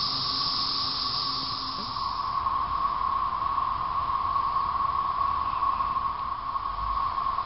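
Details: Periodical cicadas (13-year brood, 2011), emerging from late April to late May, drone in a dense chorus, a steady buzzing hum that never breaks.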